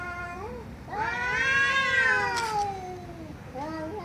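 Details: A loud, long cat meow swelling up and slowly sliding down, preceded and followed by brief short meows, with a soft low hum underneath.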